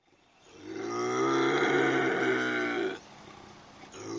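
A lynx gives a drawn-out, throaty yowl, rich and moaning, lasting about two seconds.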